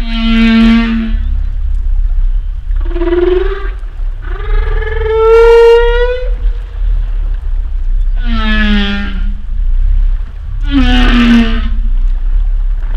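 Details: Humpback whale vocalizing: a sequence of five harmonic moans and groans, some low and swelling, one long and wavering in the middle, separated by short pauses over a deep rumble.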